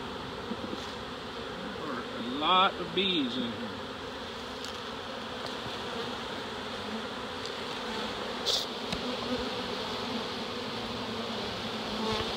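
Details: Steady low hum of a large honey bee swarm being captured in Dale County, Alabama, one bee briefly zooming close with a rising and falling whine, a few soft knocks later.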